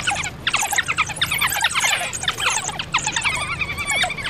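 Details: African wild dogs (painted dogs, Lycaon pictus) chatter in a rapid flurry of high, squeaky chirps and twitters.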